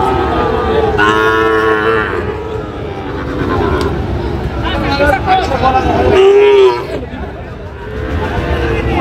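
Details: Sahiwal and Friesian bull calves at a cattle market in Munshiganj, Bangladesh, on 24 July 2025: drawn-out lowing calls, one loud rising moo near the end, over a busy market din of chatter and voices.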